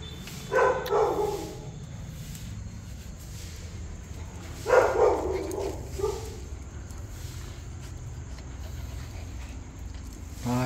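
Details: Two-week-old newborn puppies, eyes newly open, near feeding time, give short high whimpering squeals, one near the start, another around the fifth second with a brief follow-up, then a faint squeak at the end; low background hum throughout.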